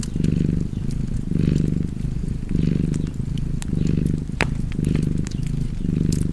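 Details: Close, deep purring from a cat by a crackling fire, rising and falling in roughly one-second breath cycles, with scattered snaps of burning wood.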